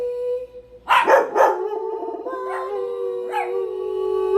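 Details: Pet dogs barking and howling: two sharp loud barks, then a long sustained howl with wavering pitch and a few softer yips mixed in.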